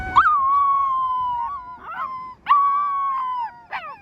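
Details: Wolf pups, rescued from the wild, give clear howls: each starts with a short upward yelp, then holds a long level tone, repeated twice with another voice beneath, ending in a brief squeal.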